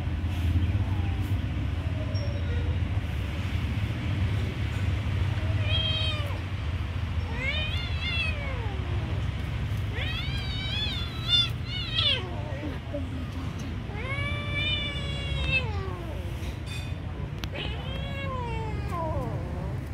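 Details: Kitten being given food, giving a run of arched, wavering meows with rich harmonics, about six calls spread over the second half, over a steady low rumble of background noise.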